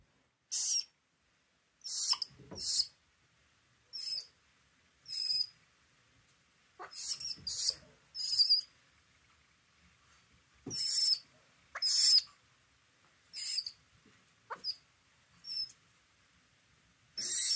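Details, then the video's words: An orphaned baby vervet monkey at a South African rescue gives shrill, squeaky chirps again and again, calling out for its lost mother. "Baby orphan monkey Little Ildiko calling for his mom"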